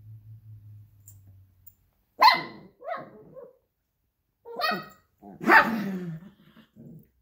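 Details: Luigi, a 12-week-old Alaskan Klee Kai x Pomeranian puppy, tussles with Pooki, a 7-year-old American Eskimo x Chihuahua, over a toy fox; four separate bursts of sharp, rasping barks with growly undertones, spaced by short pauses.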